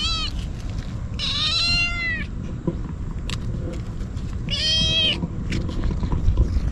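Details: Stray kitten crying out desperately while eagerly eating Churu treats and Sheba cat food: three drawn-out harmonic meows, the first cut short, then two longer wails about three seconds apart, over steady low outdoor rumble and faint clicks.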